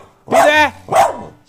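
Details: A dog gives two loud, harmonic barks with a slightly whining, complaining tone, barking to wake its sleeping owner, who shouts back at it to shut up.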